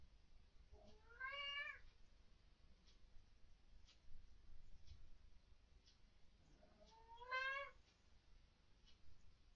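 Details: Domestic cat indoors at night, very vocal and reacting to what its owners call ghosts or orbs; two rising-then-falling meows with rich harmonics, about six seconds apart, over quiet room hiss and faint ticking.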